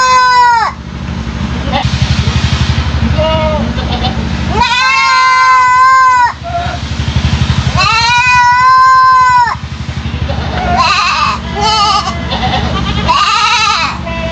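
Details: Three-month-old goat kid with an unusual voice that drew neighbours' attention; long wavering bleats with rich harmonics, each about a second or two, repeated several times, over steady low background hum and some voices.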